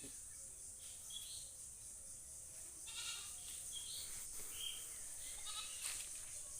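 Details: Goat giving a few short, nasal bleats with bright harmonic tones, irregular and spaced about a second apart, partly masked by a steady high-pitched hiss throughout.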